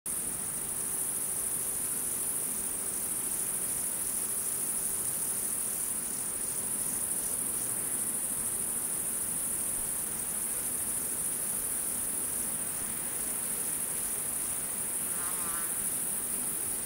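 A steady, very high-pitched trilling of crickets, pulsing slightly, with a brief bird chirp near the end.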